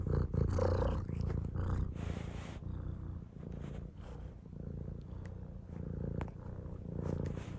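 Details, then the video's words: Domestic cat purring indoors: a low, steady rumble pulsing about three times per second, with brief louder bursts near the start and soft rustling between breaths. "Purring Cat"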